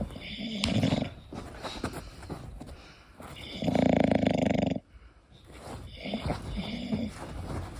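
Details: English Bulldog Koda asleep, snoring with uneven, throaty rumbles; one strong drawn-out snore in the middle, flanked by softer, noisier breaths.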